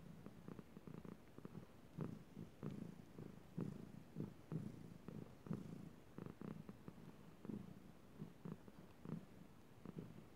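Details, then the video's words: Soft continuous purring from Chilali the cat at night, low throaty vibration rising and falling in even breath cycles roughly once a second, indoors and otherwise quiet. "Chilali purring"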